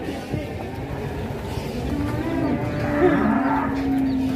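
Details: Cattle described as raging, from an Indonesian cattle-farming setting; a steady, low drawn-out moo holds level through the second half over a constant noisy background.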